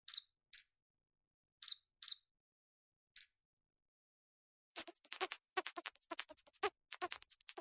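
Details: Mouse giving five very high, brief squeaks at uneven intervals, followed by a run of rapid dry clicks and scratchy rustling for the last three seconds.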